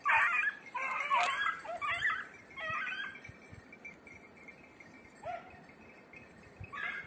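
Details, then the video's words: Beagles on hare practice in Crete; a run of loud overlapping yelps and bays early, then scattered single yelps with quieter gaps and ground noise. "2021 hare practice redblue tick lemon white beagle crete Island"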